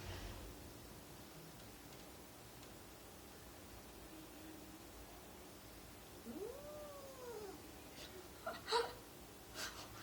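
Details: Two domestic cats give a low, steady growl, then a rising-and-falling yowl, voicing their disdain at a new kitten in the family; the kitten was in no danger.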